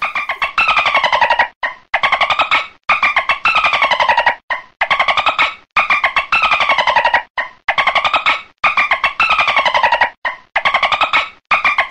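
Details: A buzzy, synthesizer-like musical phrase with rising and falling tones repeats about every one and a half seconds. No natural animal voice stands out from the music.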